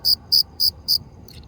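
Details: Four crisp, high-pitched cricket chirps in quick, even succession, followed by a faint trailing rasp over low background hum.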